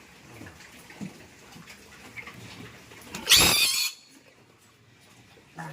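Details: Piglets being moved into fattening pens: one loud, harsh, shrill squeal lasting about half a second midway, with faint voices and soft handling noises before it and quiet after.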